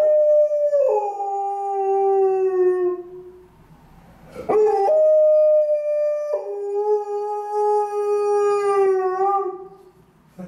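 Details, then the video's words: Alaskan Malamute female howling from a stairwell on a gloomy afternoon as an ambulance passes: two drawn-out howls, each opening higher and then dropping to a lower held note, separated by a brief quiet gap. "A long stairwell howling by Alaskan Malamute"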